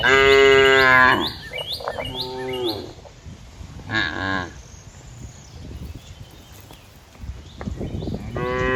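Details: Cows walking and grazing in green fields, lowing in long harmonic moos, a loud one at the start, shorter ones near two and four seconds, and another building at the end, with faint rustling between.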